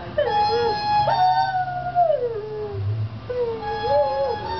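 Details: A 1-year-old female dog howls in long, wavering tones sliding up and down in pitch, as she does every time she sees a street food vendor.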